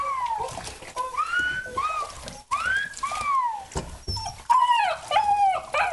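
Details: Lower mid content wolfdog getting its first bath, whining with high tonal whines that rise and fall in arching slides, repeated several times; splashing and background noise.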